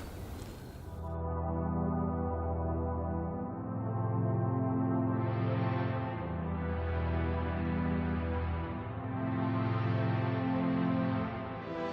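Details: Soft ambient music with low sustained tones and gentle swells, with no animal sounds present.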